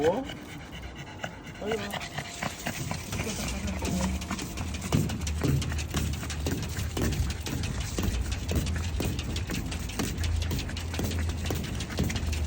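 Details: A pug panting hard on a walk in summer heat: fast, rhythmic breathy puffs repeating several times a second, with a person calling the dog along and faint music underneath.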